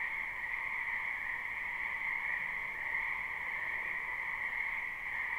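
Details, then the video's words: Spring wetland frogs in a live, unlooped recording: a constant chorus of overlapping croaks blends into a continuous shimmering drone in two pitch bands, steady in loudness throughout, no other sounds standing out. "Ambient Noise for Sleep Frogs"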